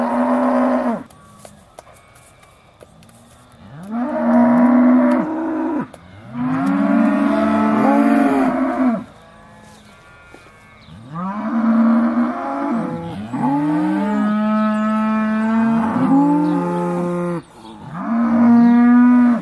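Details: Aussie Red dairy cows about to be milked, December 2012: a series of loud, harmonic moos from several animals, each lasting two to four seconds, with brief quiet gaps between.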